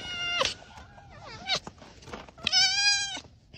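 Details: Arctic fox at close range indoors giving loud, harmonic whining calls: a sharp falling cry, a wavering wail near the middle, then a long steady drawn-out whine, with faint background music.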